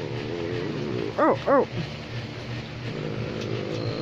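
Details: American Pit Bull Terrier barking, two short, quick woofs about a third of a second apart, set against a person's soft, repeated drawn-out 'oh' sounds and steady low background hum.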